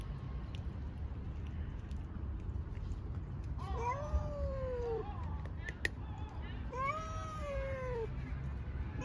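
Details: Stray cats being fed milk and dry food in a garden; two drawn-out, slightly falling meows about three seconds apart, with faint clicks and low background rumble.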